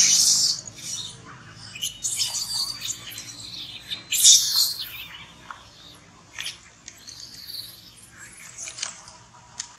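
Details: Hungry baby monkey named Bravin, denied milk, crying: shrill, high squealing cries burst out near the start, at two seconds and at four seconds, followed by fainter scattered squeaks and chirps.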